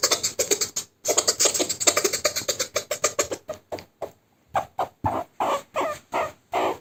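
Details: A pet male meerkat being tickled during playtime gives rapid, raspy chattering chirps that slow into separate squeaks, while trying to push the hand away.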